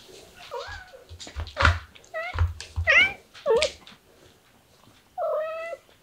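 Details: Baby kitten, said to be starting to act sweet and affectionate, gives a quick series of short, wavering meows that rise and fall in pitch. A longer, steady meow follows after a pause, over soft rustling and low thumps.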